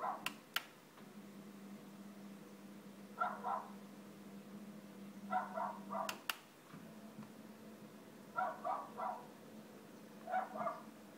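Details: Domestic dog barking at roller shutters, heard indoors as four separate clusters of two or three muffled barks spread over the recording, with a constant low hum and occasional sharp clicks between them.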